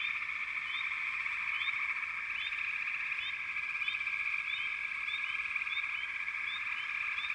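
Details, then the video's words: Frogs chorus with a steady trilling drone. Short, high, upward-sliding chirps cut through it, repeating roughly every second across the whole stretch. "Frog Chorus"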